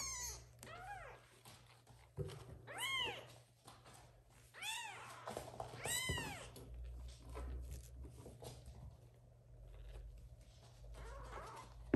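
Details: Kittens calling loudly for the mother cat, which has adopted some older kittens, to come and feed them; a run of bright arching meows, about one every second or two, fading to faint calls later.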